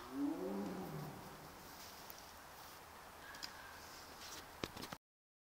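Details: Young captive tiger in Sibiu, Dumbrava, left alone after its mother was killed two weeks earlier, calling more quietly than before: one short moaning call in the first second, falling in pitch, then quiet background with a few clicks.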